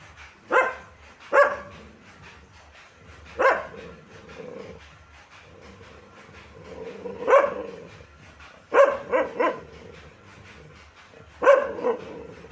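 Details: Single and paired dog barks spaced a few seconds apart, each short and sharp over a steady low hum, with quieter gaps between the outbursts.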